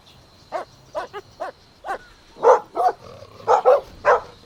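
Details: Golden Retriever puppies playing outdoors in a green meadow: a run of short, high yipping barks, at first spaced about half a second apart, then louder and fuller barks bunched toward the end.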